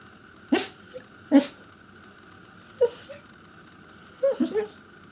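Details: A male Pembroke Welsh Corgi 'talks' in short, throaty bursts, part grumble and part yip, spaced irregularly a second or more apart, trying to get his owners' attention; steady hum behind.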